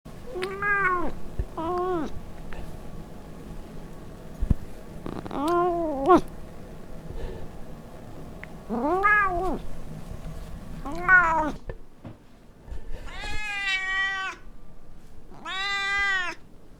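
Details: Rosalie, a pet cat, recorded indoors on a Zoom H4N, gives a series of separate meows, some short and arched, later ones longer and brighter, with quiet pauses and a few soft knocks between them.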